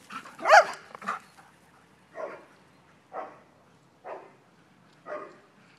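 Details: Ghira and Intense, two dogs at play outside on a spring morning, give a loud opening burst followed by four shorter gruff vocal bursts spaced about one second apart, against a quiet background.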